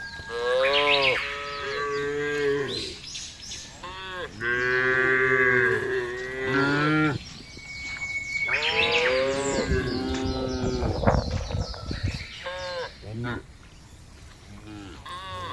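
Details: Several cows in a field low one after another. Repeated long, harmonic moos vary in pitch over fifteen seconds. A stretch of rough, broadband rustling and knocking comes near the two-thirds mark.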